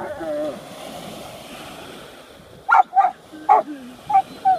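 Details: Rottweiler facing an unidentifiable object: soft whine-like tones at first, then a run of five short barks spaced about half a second apart.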